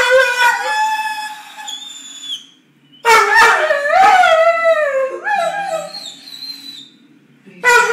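A Weimaraner makes drawn-out, wavering howl-like moans that rise and fall, asking for its ball.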